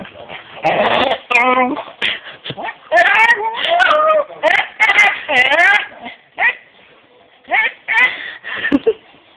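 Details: Puggle making funny noises directed at another dog: a run of whiny, yodel-like harmonic cries that bend up and down in pitch, grouped in bursts with short pauses, some brief sharp yips between.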